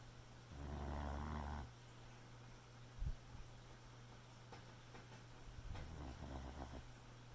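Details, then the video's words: Boxer puppy snoring in its sleep at night: one loud, throaty snore of about a second, then a softer, fluttering one later, with a faint knock and a steady background hum. "Boxer Puppy Snoring"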